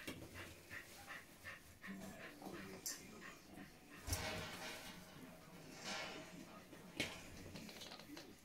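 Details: German Spitz (Großspitz) puppies, 30 days old, giving soft whimpers and short yips at irregular moments, with shuffling, rustling and bumping noises around them and little human speech.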